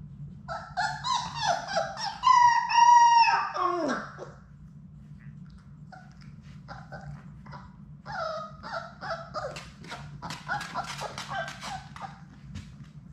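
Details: Labrador Retriever puppies from Sadie's litter of six, playing together in an indoor puppy play room, give high, harmonic whining yelps and then a sustained, steady howl-like whine lasting about two seconds, followed by scattered softer yips and squeaks.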